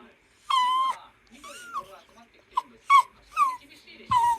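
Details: Worried Toy Poodle at home vocalizing to its owner while waiting for a late father: a long tonal whine, then shorter whines, each sliding downward with bright harmonics, in irregular bursts over a few seconds, with faint low human voice.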